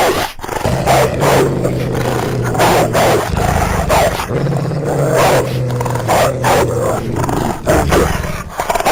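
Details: Eurasian wolf: deep rumbling growls and harsh snarls in long, rough phrases, low and throaty, running almost without pause.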